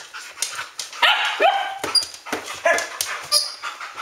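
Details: Several Standard Poodles at Arreau Standard Poodles, indoors at home at ten past midnight on August 12, 2014, barking excitedly: sharp overlapping barks and high yelping whines with rising pitch, bursting about every half second, with a person talking between them.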